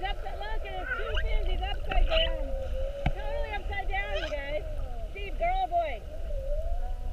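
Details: Whales recorded underwater while mugging a whale-watch boat on the 7:30 trip of 2-21-19, staying an hour with multiple spy hops. Several overlapping moaning, sweeping tonal calls rise and fall, with squeaky higher overtones over steady low engine and water rumble.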